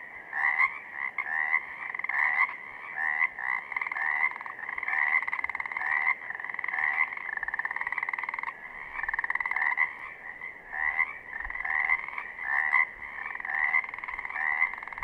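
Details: Chorus of Pacific chorus frogs from southern Oregon, many animals calling together: steady, overlapping raspy two-note croaks, pulsing about once a second without a break.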